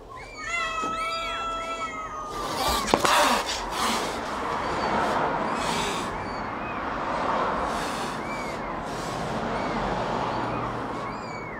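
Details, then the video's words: Domestic cat and kitten at feeding: a clear, drawn-out harmonic meow opens. Then comes a sharp knock, and a long stretch of rustling, chewing-like noise with faint, brief mews scattered through it. "Cat and kitten feeding"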